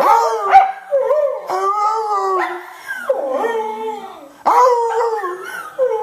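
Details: Male Cardigan Welsh Corgi howling in song with a man: sustained, wavering, harmonic notes that step down and then rise again, nearly continuous over several phrases with brief gaps.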